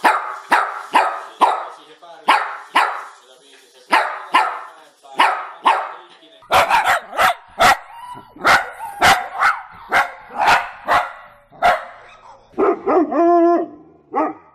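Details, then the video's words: Dog barking steadily, about two barks a second, over fourteen seconds. The barks turn crisper and more clipped halfway through, and the series ends in a drawn-out, whining yelp. "Los mejores LADRIDOS DE PERROS 🐶 Perros LADRANDO"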